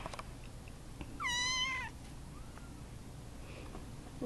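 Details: Baby Russian Blue kittens being socialized indoors by volunteers; a single clear harmonic meow lasting about half a second, slightly falling, followed by a fainter short mew and quiet room ambience.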